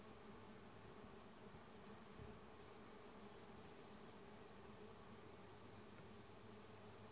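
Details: Summer bees in Vermont making a steady, even hum with layered tones that holds unchanged throughout, quiet against a soft hiss.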